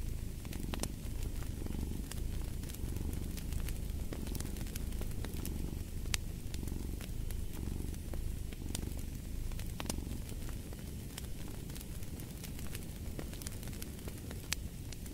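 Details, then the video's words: Domestic cat purring beside a fireplace: a steady low rumble swelling and easing in slow breathing cycles, with sharp crackles and pops of burning wood scattered throughout. "Purring of a Cat"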